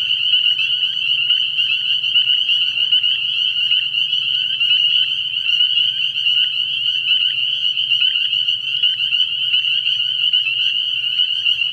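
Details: A pond full of spring peepers at night early in the year, countless sharp high peeps overlapping into an unbroken shrill trill, with a faint low droning hum in the background.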